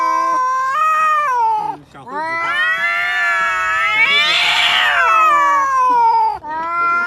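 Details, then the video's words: Domestic cat making a weird, drawn-out wailing sound: long harmonic yowl that wavers, rises to a strained, rough peak in the middle, then slides down and ends in a shorter rising whine. "Unbelieveable !!!! this weird sound is from a cat !!!!"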